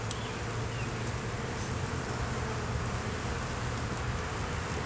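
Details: Steady, thick hum of many honey bees at an open hive during an inspection, with a low droning tone underneath and a constant buzzing wash, no voices.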